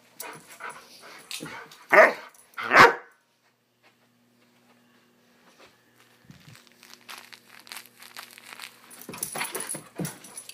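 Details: Young Swiss Mountain Dog, Bower, in a wild "bad dog run" indoors: two loud, abrupt barks near the start, then a lull with a low steady hum, followed by scuffling and rustling noises of movement.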